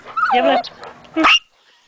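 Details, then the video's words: A pet female Yorkshire Terrier working herself up and challenging the neighbour's police dog: a whiny, descending yelp followed by one sharp, high-pitched bark, then quiet. "Crazy Yorkie"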